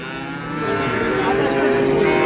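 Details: At a cattle market where Sahiwal calves are sold, a calf's sustained, even-pitched moo swells in loudness. Buyers and sellers talk prices in the background.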